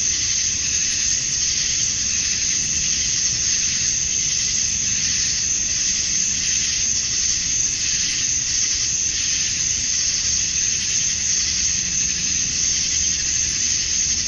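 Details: Male cicadas calling to attract females during summer dusk in Georgia, USA; an unbroken shrill buzz of many insects together, holding steady throughout with only slight swells in intensity, no other animals or voices.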